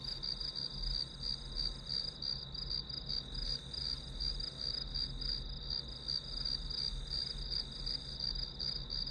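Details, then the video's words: Steady high chirping of grass insects serving as white noise while studying; evenly repeated pulses, close to three each second, continue without pause above a faint low hum. "풀벌레 소리"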